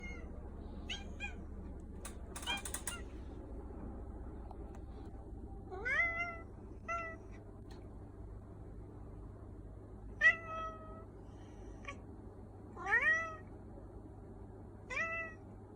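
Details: Black cat meowing indoors, a series of short, clear meows rising then falling, spaced a second or more apart, with several fainter chirps early on and a brief rustle near the start over a low steady hum.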